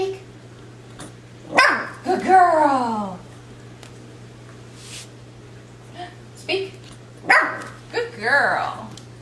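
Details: A 12-week-old female Miniature Schnauzer puppy being trained indoors gives sharp barks on the 'speak' command, each followed by a falling, drawn-out vocal sweep. Bursts come twice about six seconds apart, with an owner praising her and a steady low hum.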